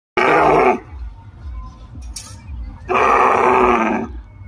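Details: Camels in Rajasthan: two loud, harsh bellowing calls, each under a second long, rich in mid-range harmonics and separated by about two seconds of quieter low rumbling.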